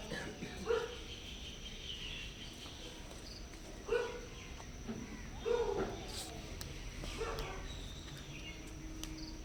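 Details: Stray cats, hungry and looking for shelter and food at a home, meow softly: four brief tonal calls spread a second or more apart, with faint chirping and steady low rumble behind them.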